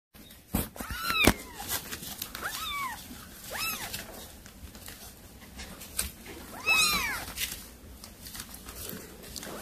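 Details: Cat, a mother that brought a mouse to feed her kittens, calling them: high arched meows with clear harmonics, about five calls spread over ten seconds, with clicks and rustling noise between them.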